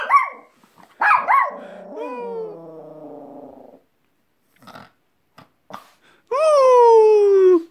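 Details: A pet dog gives short yelping barks that trail into a wavering, falling whine. After a pause with a few faint clicks, it lets out a strong wolf-like howl that drifts steadily downward for over a second.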